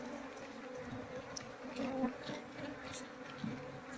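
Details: Asian honey bee colony without a queen, its combs full of honey and lacking larvae, handled by beekeepers; a steady low hum with layered tones, soft throughout, with faint handling noises.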